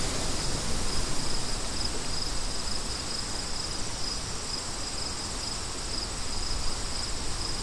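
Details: Crickets chirping in a steady chorus, short high pulses repeating about three times a second, set against constant rushing wind that dominates the low end.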